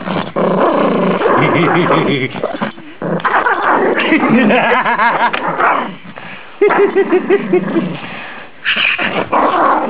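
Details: Small rescue Rhodesian Ridgeback growls while playing his favourite game, with long, gravelly rumbles, brief yelping rises and pauses between bouts; a woman's voice and background music are also heard.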